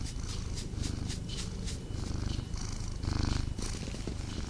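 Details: Cat purring while snuggling: a steady low rumbling purr pulsing with each breath, with soft rustling of fur and bedding over it.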